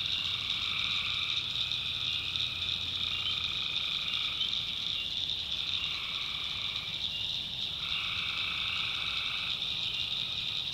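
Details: Swamp tree frogs calling after dark in the backwoods of North Carolina, a constant shrill chorus with pulsing lower trills that start and stop in bursts of several seconds, briefly thinning near the middle.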